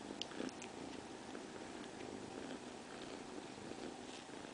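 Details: Domestic cat Ginechka purring steadily, a soft rasping drone with a few small ticks and rustles near the start.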